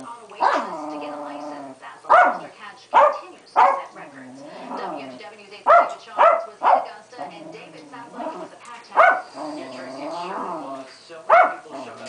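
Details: A female Keeshond named Pancake in a royal superfit, mixing short explosive barks in uneven bursts with drawn-out, bending whine-moans between them.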